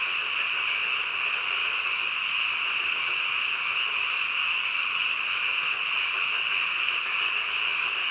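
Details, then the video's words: At midnight, many frogs call together, forming a continuous buzzing wall of sound in the upper register that holds steady throughout. "한밤중 개구리 울음소리"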